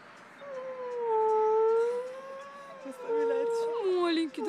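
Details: Dog 'singing', Jville, 2012: after a quiet start, a long wavering howl swells and dips, then a higher, steadier held howl follows with a sliding finish, voices audible nearby.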